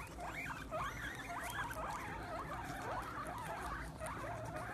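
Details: Group of guinea pigs squealing with excitement over a treat of sprouts: a busy run of short rising and wavering squeaks, several callers overlapping almost continuously above soft chewing noise.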